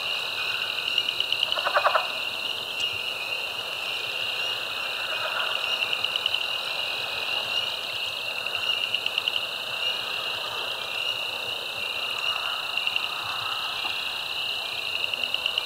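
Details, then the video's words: Mixed frog chorus recorded March 10, 2024, at Caddo Lake National Wildlife Refuge in eastern Texas: Spring Peeper, Cajun Chorus Frog, Southern Leopard Frog, Pickerel Frog. Steady high-pitched trilling wall of sound, with rhythmic pulsed bursts and a few lower croaks. "Caddo Lake NWR Frog Chorus"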